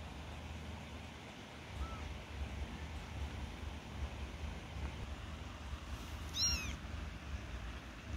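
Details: Newborn kittens about one week old, learning to walk. A single short, high, thin meow near the end, arching up and down with clear overtones, follows a faint brief squeak earlier, over a constant low rumbling background noise.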